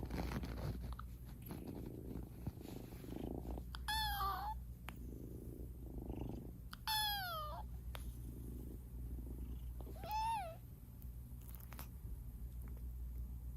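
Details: Male Munchkin kitten Eden, born 2021-10-08, purrs with a low continuous drone while giving three short falling meows about three seconds apart, around the fourth, seventh and tenth seconds.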